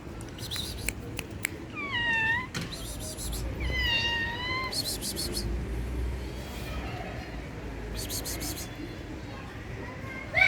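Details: Orange and ginger stray kitten, playful and biting hands, gives two clear rising-falling meows a couple of seconds apart amid rustling, clicks and a person's nearby sounds.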